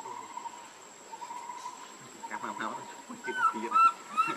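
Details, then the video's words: Baby monkey Lucie crying, hungry and begging for milk; high, thin whistled wails with bright overtones arrive in the last second, each short cry rising slightly, over a steady high hum and soft background chatter. "Lucie Very Pitiful Need Milk Crying"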